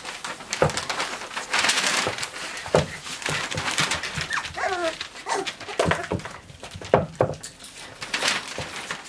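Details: Five-week-old Shetland Sheepdog puppies indoors. Short high whimpers and squeaky yelps, some rising then falling, break through steady clattering, scuffling and knocking from the litter moving about.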